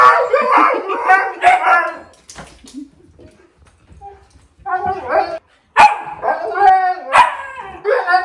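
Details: Siberian huskies greeting dad returning home, a young one giving a small howl; bursts of harmonic yips and woo-woo vocalizing, a quiet gap in the middle, then loud excited calls resume.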